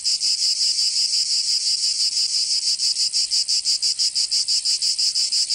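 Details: Cicada song recorded in summer in Provence, southern France: a piercing high buzz pulsing quickly and regularly, about three beats per second, steady and loud from start to finish.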